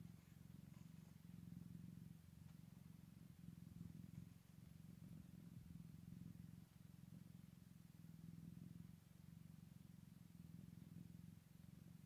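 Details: Scottish Fold cat with newborn kittens on day one after birth: continuous deep purr rising and falling in regular breaths, the rumble unbroken for the whole stretch in a quiet indoor setting.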